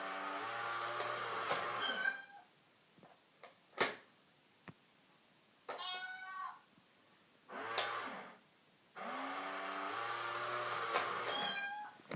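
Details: Domestic cat facing another cat hidden in a box, giving drawn-out harmonic meows and wails around seconds 0-2, 5.5-6.5 and 9-12, separated by quiet gaps with soft taps and rustles indoors.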